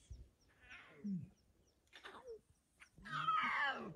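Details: Lion pride with eight cubs, recorded 20 February 2024: a few soft, short harmonic mewing calls with rising-then-falling contours, spaced by pauses, the final call longest and loudest, in a quiet setting.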